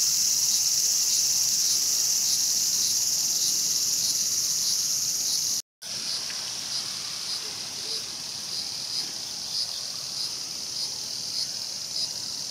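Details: ["In Tokyo's Showa Kinen Park in 2020, a cicada seized by a mantis; a loud, high, sizzling buzz that softens slightly after a short silent break, with faint pulsing in the drone."]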